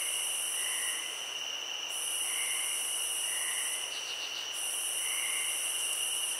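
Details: Chorus of crickets in a field, unbroken high-pitched ringing with an upper shrill band pausing twice, one quick stuttering pulse burst, and soft lower chirps repeating every second or so.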